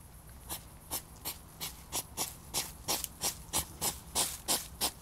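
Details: A hedgehog snorts in rapid, breathy huffs, about three every second, during a mating struggle.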